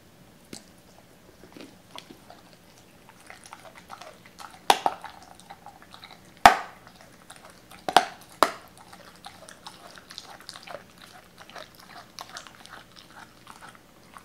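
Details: Doberman called Cola chewing raw chicken pieces cut and torn at the joints, eating somewhat timidly; sparse quiet mouthing with a few sharp loud crunches near the middle, indoors.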